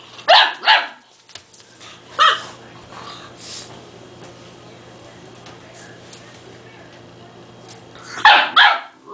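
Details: Beba, a two-month-old pure Dogue de Bordeaux puppy, yaps at a small toy he fears: a pair of sharp high barks, one more after a pause, then a quiet gap and a final double bark.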